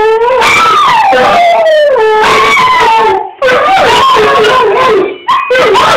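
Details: Two dogs, a little one and a bigger one, howl in competition, set off by an annoying ringtone. Long wavering howls with strong harmonics rise and fall, overlapping one another, with a short break near the middle and sharper yips toward the end.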